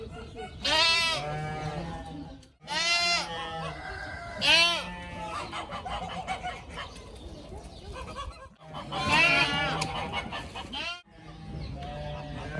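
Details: Young pygmy goats at play, running, jumping and butting heads; sharp, high, quavering bleats in short bursts roughly every one to two seconds, some rising then falling, with quieter bleating between.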